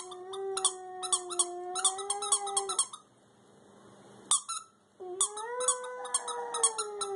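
A Schipperke gives a long, wavering howl with rising and falling pitch between sharp squeaks from a toy.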